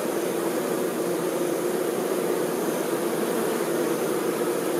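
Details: Honey bee workers attending their queen: a dense, unbroken buzzing drone, strongest in a low band, holding a constant loudness throughout with no pauses.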